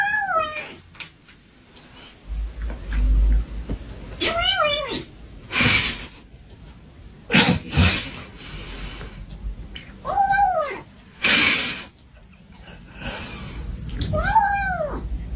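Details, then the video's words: Kitten giving five separate high, arched meows spaced a few seconds apart, each sliding up then down, interrupted by loud rustling thumps in between. "Ranking different kitten sound"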